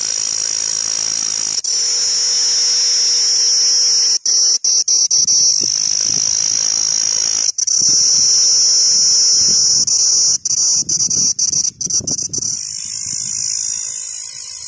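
A giant cicada drones in a loud, continuous, high-pitched buzz.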